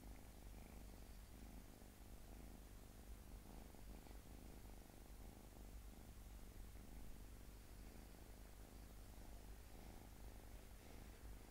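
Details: Domestic cat purring quietly and without pause, a low vibrating drone with fast regular pulses and slight swells in strength, with nothing else clearly heard.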